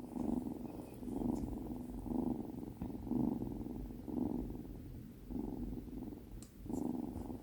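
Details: Purring of Binwoo, a Tonkinese kitten, first day home, during a cuddle indoors; the rumble swells and fades in regular breathing cycles roughly once per second.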